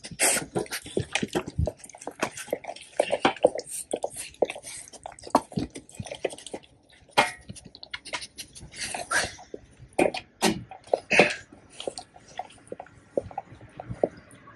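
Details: Raw-fed Labrador Retrievers Tico and Remi crunching a whole raw duck head; sharp clicking bites and wet smacking chews in rapid irregular bursts, quieter gaps between, recorded close in a small room.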